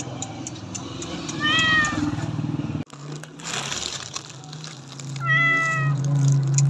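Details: Domestic cat meowing: two short high harmonic meows, one near the start and another after a break, over a low rumbling hum and background clatter.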